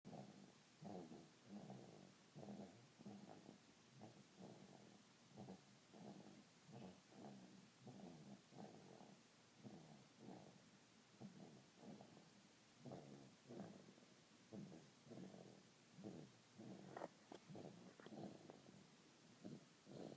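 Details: Sleeping dog snoring steadily, a rhythmic run of low rasping breaths repeating roughly every second throughout, each snore a short rumbly burst with no other sounds intruding.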